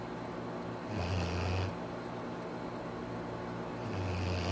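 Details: Sleeping Labrador Retriever, Arfie, gives a drawn-out rumbling snore lasting under a second, then quiet breathing before a second snore begins near the end; steady low room hum throughout.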